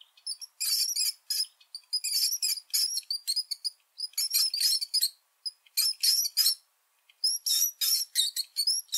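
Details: A brown (Norway) rat gives bursts of high, thin squeaks and chirps in quick, uneven runs.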